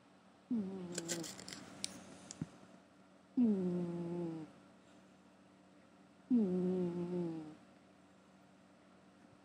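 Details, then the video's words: Gary, a domestic cat, snoring while asleep indoors: three low, droning, voiced breaths about three seconds apart. Each starts a little higher and sinks in pitch over roughly a second, with quiet pauses between them. "Gary Snoring"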